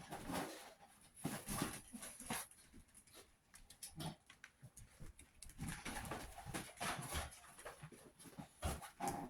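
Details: Sixty-one-day-old Chihuahua puppies, heard mostly as clicking, pattering movement with short faint whines woven between the taps, some louder bursts early and late.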